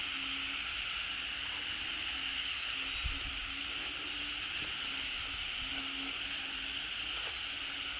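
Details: Frogs calling en masse beside the fence in front of a house just after rain stopped, a sign the rainy season is coming; a dense, continuous high chorus with low notes repeated throughout and occasional clicks.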